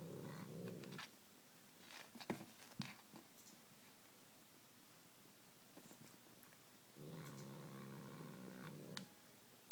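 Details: A domestic cat playing with a small white toy mouse, possibly after catnip drops, gives two low, rumbling, tiger-like growls, each held steady for one to two seconds.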